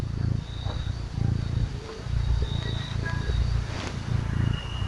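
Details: Small cat purring while being petted and cuddled: a low, steady rumble that swells and fades about once a second with each breath, with a faint thin whine in the background.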